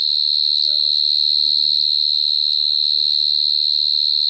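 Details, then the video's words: Cricket singing at close range, 2022: an unbroken piercing high trill dominates, while soft low voice-like sounds drift underneath. "Dế kêu Cận Cảnh"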